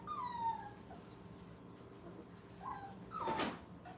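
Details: Puppies five weeks old at a kennel, having fun: a few short, high, downward-sliding whines separated by quiet gaps, with a brief broadband rustling thump near the end and a low steady hum beneath.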